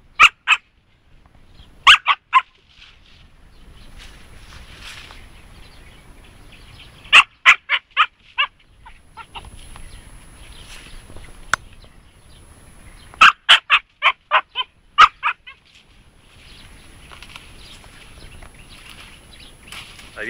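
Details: Jasmine, a 3.5-month-old Siberian Husky puppy, meeting a hedgehog for the first time. High, sharp barks come in three bursts of four to six yaps, with quiet gaps between and faint rustling.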